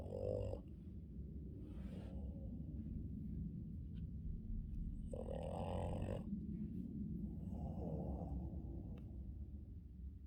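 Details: Male Boston Terrier snoring in morning sleep, with short rough snorts at the start, middle and near the end over a steady low breathing rumble.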